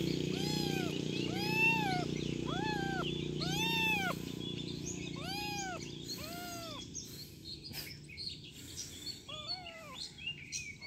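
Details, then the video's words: Kitten meowing in a steady series of about seven arched, harmonic-rich meows over a low background hum, then a few fainter, shorter meows near the end. "Anak Kucing Mengeong lucu - Cute Meowing Kitten"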